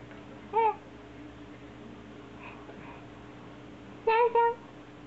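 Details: Foster black kittens Hachi and Nana, brother and sister, peek through a sliding fusuma door indoors; one clear high mew, then after a pause a pair of quick mews close together, over low steady room hum.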